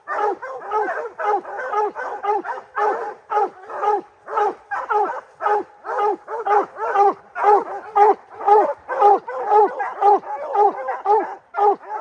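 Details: Three-month-old puppy named Rocky, a Gray's Rack Em Willy x Blackstone's Ram-Paige cross, at his first treed black bear: rapid, steady barks repeated about twice a second, each bark harmonic and slightly falling, with no other sounds.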